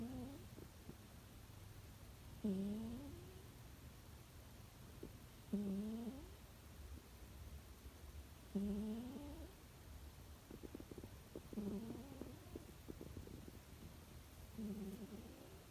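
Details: Sleeping cat in spring, snoring softly indoors: a quiet, low breathy snore with a faint rising squeak, repeated about every three seconds in a steady rhythm, over a low background hum.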